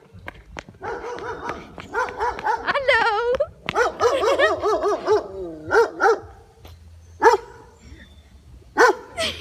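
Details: Neighbour's White Shepherd dog on an evening walk, reacting to a passing malamute it was about to attack; bursts of rapid, tonal barks and yelps in irregular runs, some quavering, with quiet gaps between.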